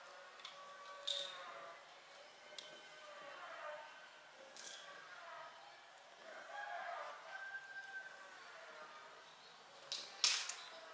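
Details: Mother cat vocalizing as if singing karaoke: soft, drawn-out wavering meows with rising and falling pitch, several phrases running together, quiet overall, with a few sharp clicks and knocks.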